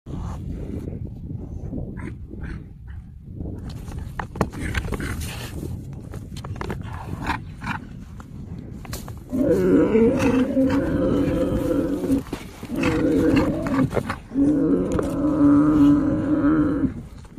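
A yak gives deep, drawn-out grunting calls in bursts of several seconds, after a stretch of rough background noise.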